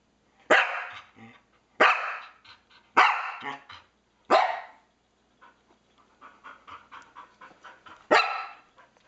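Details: Norwegian Elkhound, a household pet, barking at a PS3 game pointer: four loud harsh barks about a second apart, then a stretch of softer huffing and panting before one final bark.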